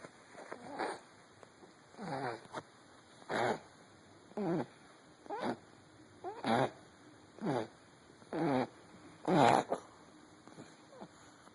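A Boston Terrier snores loudly, with rattling breaths repeated about once a second.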